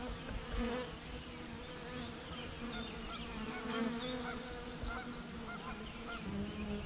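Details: Continuous deep hum from a swarm of bees, with the drone swelling slightly now and then and light, high bird twitters scattered over the top.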